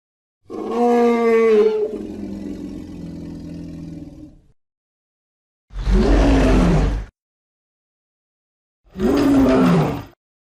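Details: Lion roaring: a long, deep, harmonic moaning roar that slowly fades over about four seconds, then two shorter, harsh, broadband roars a few seconds apart, with silence in between.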